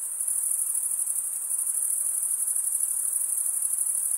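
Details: A chorus of crickets produces an unbroken, piercing high trill made by rubbing their wings together. Faint rapid pulsing runs through the steady sound, and nothing else is audible.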